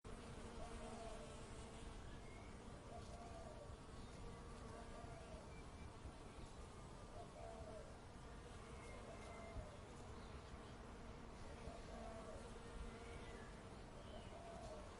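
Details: Bees in a suburban backyard hum in a steady, low droning buzz that never lets up, with faint chirps far behind.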